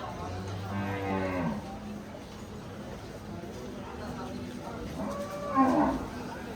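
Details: Cattle at the crowded Kamalapur cattle market in 2025, ahead of Eid al-Adha (Qurbani): one long low moo with stacked harmonics lasting about a second and a half, then quieter lowing and a brief higher cry near the end over market noise.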